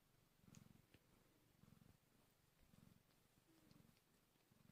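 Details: Quiet, low purring from hungry kittens just one hour old, in soft rhythmic bursts about once per second against a faint hiss.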